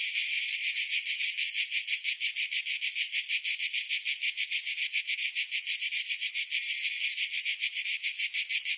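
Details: A dense, shrill buzzing of cicadas on a summer day, beating in fast, even pulses of about three a second throughout.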